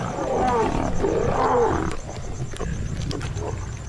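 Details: Asiatic lions in an Indian teak forest and farmland landscape growl and snarl at a freshly killed spotted deer. Low rasping rumbles rise into harsh tonal snarls as the pride crowds the kill, which lionesses ambushed from field-edge scrub.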